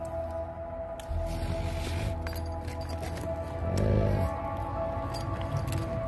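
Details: Soft background music with sustained low tones and a brief swell around the fourth second; no animal sound is heard.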